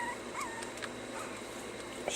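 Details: Puppies being taught to stay give a few soft, brief whimpers, thin high whines near the start that rise slightly and fall away, over a quiet hissy indoor background.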